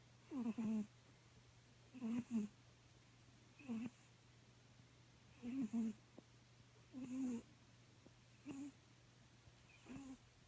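A Bengal cat snores, with soft, wheezy, low rasping breaths repeating about every second and a half.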